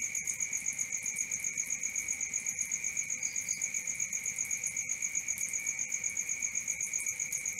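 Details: Cricket chorus recorded at night: a shrill, unbroken high-pitched trill pulsing fast and evenly, with a brief faint extra chirp midway.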